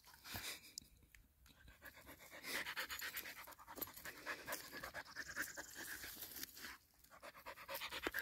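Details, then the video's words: Husky dog eager for its owner's freshly caught fish, panting in rapid breathy bursts, steady rhythmic puffs of air with brief pauses, a short spoken word just before and some crunching and handling noise around it. "Husky wants my catch!"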